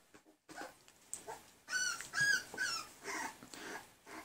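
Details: Tri-colored male Pembroke Welsh Corgi puppy from a 2019 litter, handled indoors while its markings are shown, makes a run of faint, high whimpers and squeaks over a few seconds amid rustling and quiet talk.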